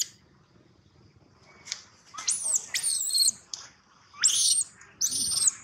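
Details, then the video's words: Gino, a baby monkey, cries loudly in piercing high-pitched screams that rise and then hold, four bursts in quick succession over faint low background hum. "Poor baby monkey Gino crying sound loudly a long time till Quiet"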